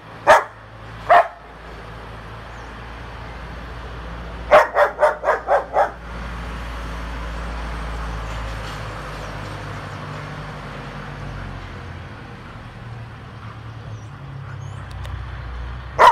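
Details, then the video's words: A female German Shepherd gives sharp, loud barks, including a quick burst of five or six in a row. "Cachorra Pastor Alemão Igual o Hulk Latindo"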